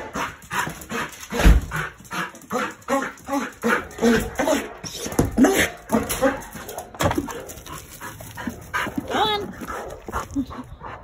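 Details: Malinois dog extremely excited to go outside and play, giving a rapid run of harmonic whines and yelps, several per second, some rising into squeaky whimpers, over steady low background noise.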